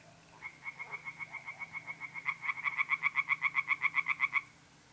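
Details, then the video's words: Tree frogs singing from a pond on an April night in north-east Italy: a fast run of nasal, pulsed croaks, about four per second, starting softer then growing louder and quicker for roughly four seconds before stopping abruptly. "relaxing singing tree frogs in pond"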